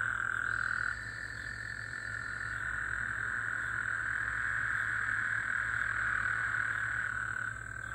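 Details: Gulf Coast toads trilling in the middle of the night after rain, 24 June 2024: overlapping buzzy trills, one stopping near the first second as others carry on, then fading slightly near the end.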